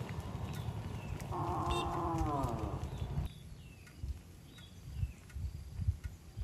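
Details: A cow gives a single drawn-out moo lasting about two seconds, a harmonic, slightly falling tone that swells and then fades, over a constant low rumble of background noise.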